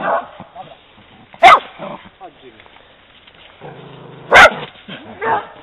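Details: An Italian Greyhound reacting to seeing a horse on her walk gives two sharp, high barks a few seconds apart over quiet talking.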